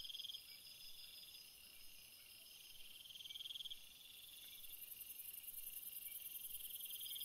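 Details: Night crickets trilling in a steady chorus; a nearby caller gives loud rapid pulsed trills in bursts of about a second, while an even higher, fast-ticking trill joins during the latter half.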